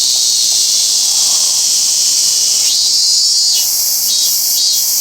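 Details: Robust cicada at Toyano-gata Park. A steady, piercing buzz holds for several seconds, then slides upward. It starts beating in quick pulses near the end.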